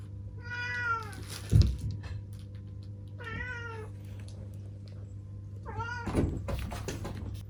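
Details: Seven-year-old black female cat giving three short meows, each rising then falling, spaced roughly two and a half seconds apart, over knocking thuds and a steady low hum.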